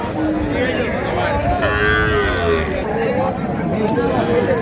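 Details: Calves, young bulls and heifers, at a Noakhali livestock market in Bangladesh, 30 March 2025; a drawn-out mid-pitched moo followed by a few shorter wavering calls, set against continuous crowd noise and distant talk.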